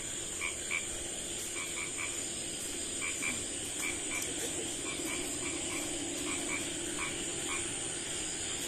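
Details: Small frog calling at night in a village: short, paired, knocking croaks repeated irregularly through the recording, set against a steady high-pitched hiss of night insects.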